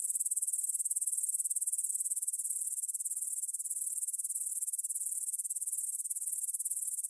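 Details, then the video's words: Grasshoppers stridulating in a meadow near the Svensky monastery, Bryansk, Russia, at 9 pm on 6 September 2020, recorded in stereo on a Tascam DR-44WL: a dense, high, hissing chorus of rapid, steady pulses with no other sounds. "кузнечики на лугу – Grasshopper Sounds in the Field"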